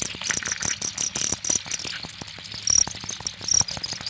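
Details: Cricket giving short, high, uneven chirps, some bursts stronger than others, over a steady hiss and scattered low tapping sounds.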